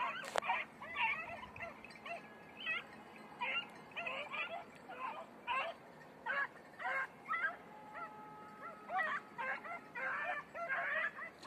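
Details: Beagles during hare practice training in Crete, red-blue tick and lemon-white; rapid repeated yelps and bays in short bursts roughly twice a second, several dogs overlapping, outdoors.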